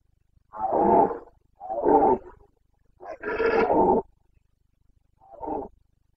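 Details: Carpathian red deer stag roaring during the breeding season in Bucovina, 29.09.2022; four gruff harmonic bellows in sequence, the third longest and loudest, the last short and fading.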